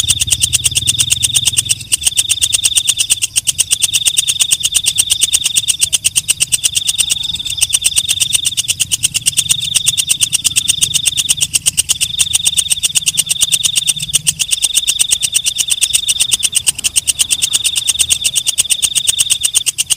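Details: Walang kecek, a night katydid, calling at night: a steady high buzzing band with rapid ticking pulses throughout, broken into long trills separated by brief gaps of about a second, with a faint low hum beneath.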